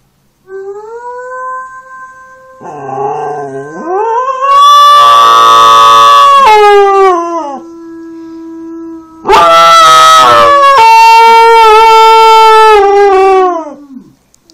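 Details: A Standard Poodle named Lilly, in a howling competition against a man imitating wolves, gives long, drawn-out howls that hold a steady pitch, then waver and slide downward.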